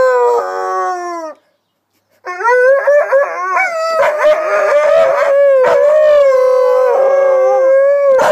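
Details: Two pet dogs howl in response to a siren: long, sustained, wavering howls that overlap into a chorus, with a short break near the start, then continuous layered voices and a few yips.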